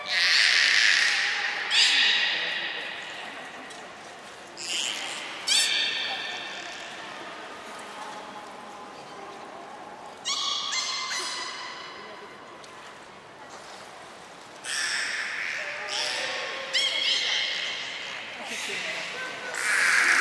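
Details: Training session with the belugas Hodoi, Taanya and Mirai at Port of Nagoya Public Aquarium, 1 November 2020; repeated squealing calls scattered through the recording, mixed with hissy splashing and broadband background noise.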